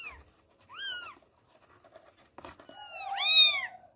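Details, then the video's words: Short exchange from the kittens Billie, Ely and Backy trying to leave their bed: a brief arched meow, a pause with a knock, then a longer, louder drawn-out meow. "KUCING MEONG MEONG"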